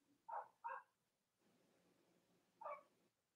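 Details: Young Cavalier King Charles Spaniel puppies, born to Robin and Myra, indoors on a chilly late-October Monday morning in the US. Two quick yips, a low soft murmur, then one more yip after a gap of about two seconds.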